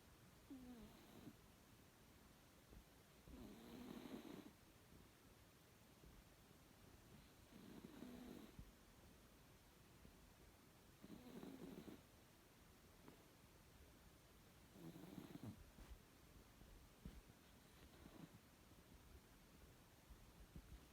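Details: House cat M sleeping soundly and snoring: five or six rasping snores roughly every three and a half seconds, each with a short whistled nasal tone, in a quiet room.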